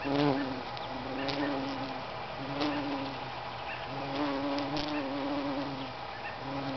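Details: Bumblebee on a lupin bloom, its low humming buzz coming in several bursts a second or so long with brief gaps, while small birds chirp faintly behind.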